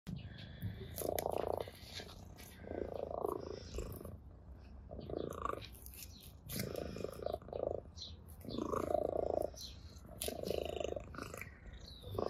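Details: Ginger cat playing with a blade of grass and purring with pleasure; soft purring swells in pulsing bursts about every second or so, with light rustling between them.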